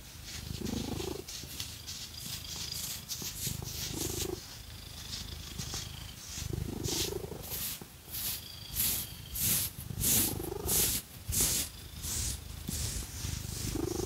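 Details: Domestic cat Phoenix purring while scratched with fake nails: low rumbling purr in slow swelling bouts, mixed with bright rhythmic scratching strokes that grow louder and faster toward the end.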